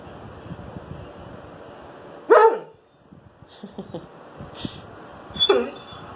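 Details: Indoor pet dog barking out the window, giving two sharp single barks about three seconds apart, with soft room noise and small knocks in between.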